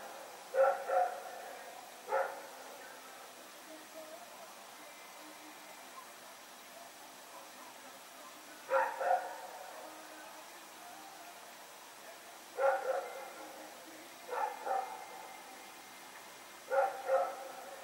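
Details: Rex, a dog running around and barking in the night, recorded 21 September 2018; paired barks and short bursts recur every few seconds over a quiet background.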